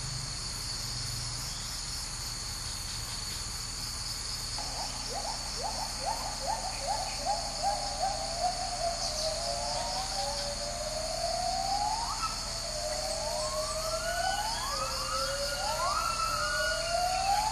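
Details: Agile gibbons in the high canopy of Sumatran rainforest, Indonesia: a female gives the great call in a duet accompanied by the male, building from quick repeated hoots into long, swooping rising whoops over steady insect buzz.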